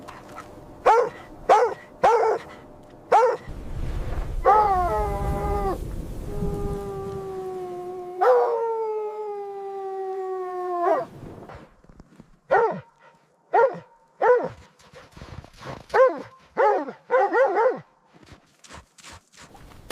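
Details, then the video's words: Puppies playing with baby rabbits on green grass outdoors: short sharp barks in quick bursts, then drawn-out harmonic whining howls around seconds 4 to 11, followed by more spaced barks. "Dog barking sounds"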